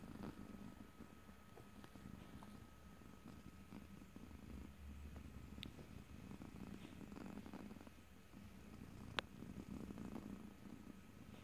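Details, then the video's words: Domestic cat giving a low, steady purr recorded in stereo, no talking; the rumble pulses gently with its breathing, and a couple of sharp little clicks stand out. "ASMR Cat: Purring #5"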